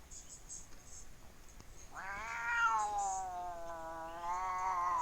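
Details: A fat domestic cat making odd sounds: near silence for two seconds, then a sustained, harmonically rich yowl that rises slightly, levels off into a long moan, and swells again near the end.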